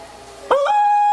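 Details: Dog beginning to howl as town fire alarms sound, a quiet lead-in followed by a sudden rising onset settling into a steady sustained tone.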